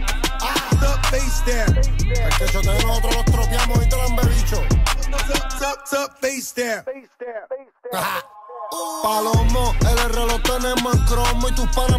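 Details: Loud hip hop music with rapping and a heavy beat, briefly dropping out near the middle; no animal sounds.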